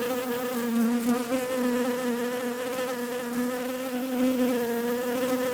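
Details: Steady droning buzz of bees, low and even with rich harmonics, small pitch wobbles and slight swells in loudness across the clip.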